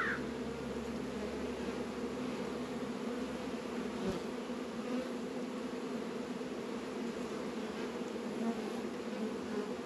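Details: Honey bee colony busy at the hive on a mild 72-degree winter day in February, northern Kentucky apiary; an even, dense buzzing drone holding steady, with one sharp knock midway.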